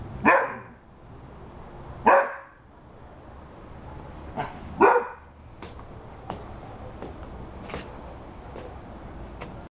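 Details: Eight-month-old Rhodesian Ridgeback barking at a cat and squirrel that keep running along the fence; three loud, harsh barks spaced about two seconds apart, then fainter clicks and knocks over a steady low hum.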